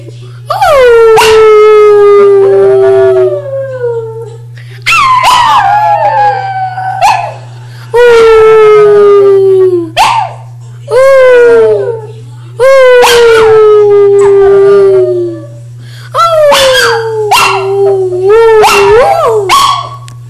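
A dog howls in long, drawn-out tones, each wavering and sliding gently downward before breaking off.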